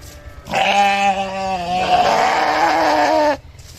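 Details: Sheep making a cute noise for kids: one long, wavering, harmonic bleat lasting nearly three seconds, pitch dropping slightly midway, over quiet background.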